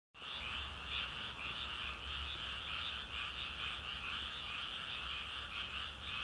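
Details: Frog chorus: a continuous, dense trilling croak with two steady bands, a bright high one and a lower one, running unbroken for the whole stretch after a brief silent start, with a faint low hum beneath.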